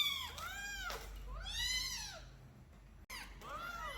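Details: Kittens kept in a cage while their room is cleaned, one escaping to run around: arched, harmonic meows rising then falling, three calls over four seconds with a brief gap, indoors in a small room.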